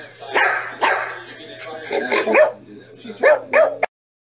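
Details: Dog giving a run of barks of mixed pitch, some yelping and higher, with a steady low hum beneath and an abrupt cutoff near the end.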